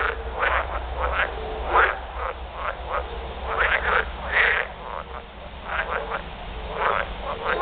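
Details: Mating chorus of edible frogs: many males give loud, harsh croaking bursts, each under half a second, overlapping irregularly in a steady, continuous chorus with a low background rumble.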